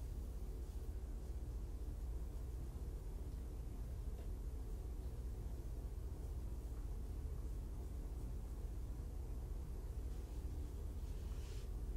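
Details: Only a constant low rumble with faint hiss continues throughout, with no animal voice.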